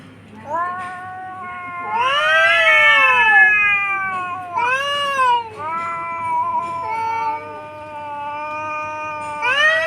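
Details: Two domestic cats fighting on a tin roof at noon, filmed by phone; long wavering yowls with rich harmonics, swelling and falling in drawn-out howls, several overlapping calls rising in pitch near the end.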